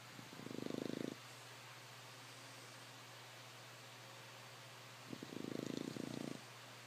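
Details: English Bulldog snoring while asleep: two rattling, fluttering snores about a second long, spaced roughly four seconds apart, over a constant low electrical hum.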